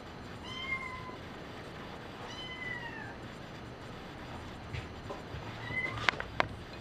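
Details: Brown patched tabby and white cat Nina during play with a foxtail teaser toy, giving three clear meows, each a short tone that slides downward, spaced about two seconds apart, with faint knocks and rustles and a low background hum.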